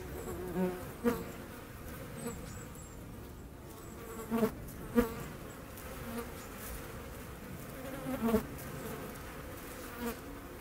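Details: Wing hum of a hornet hunting wasps, Eifel, August 17, 2020; steady low drone broken by repeated bursts and knocks at irregular intervals of a few seconds, plus faint high chirps far behind.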